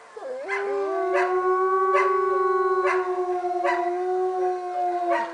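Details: Wolf howling at Northern Lights Wolf Center, Golden, British Columbia, Canada: opens with a quick rising swoop, then settles into long, level tones with a second voice beneath, and faint ticks about every second.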